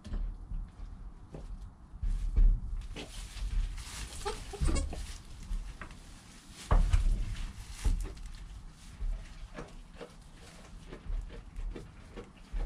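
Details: Goat kid Joel in his first hour of life with mother Penny nearby, captured by a GoPro; a few brief, quiet bleats stand out, the clearest around the middle, against shuffling and low background rumble.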